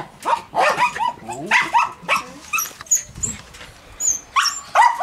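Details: Australian Terriers in a kennel, one having escaped while the other is mad at not managing to, with German Shepherds nearby: bursts of high, harmonic yelping barks and whines, with bird chirps and some voices.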